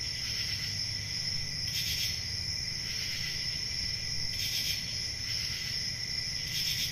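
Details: Country summer night crickets keep up a continuous high ringing trill, with louder chirp bursts about every two to three seconds over a low background drone.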